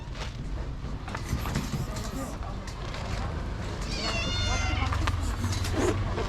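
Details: Stray orange cat outdoors at a daily feeding, giving a single drawn-out harmonic meow near the end amid steady low traffic rumble and background voices.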